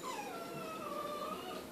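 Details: Carol, a pet dog named Carolina, gives one long tonal whine that slides down and then holds steady, while a person coaxes her about agility training and a beach trip; faint room hiss underneath.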